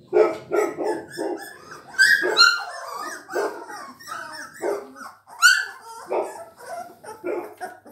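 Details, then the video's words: A litter of Labrador Retriever puppies aged three weeks, calling indoors with a dense chorus of overlapping squeaky yips and falling whimpers, high-pitched and nearly continuous, several pups crying at once. "chiots labrador 3 semaines"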